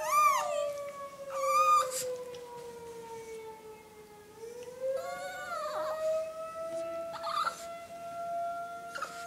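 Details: Chihuahua howling in reaction to a tornado siren, high wavering yelps and cries rising over the siren's long steady tone that slowly falls then climbs again.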